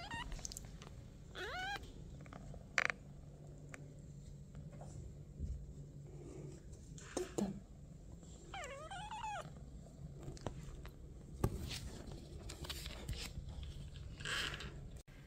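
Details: Pinky, a 28-day-old kitten born August 3, leaves her nest indoors and runs after her owner while meowing: several high, arching meows with bright harmonics, mostly in two bursts, over a low room hum and light rustling.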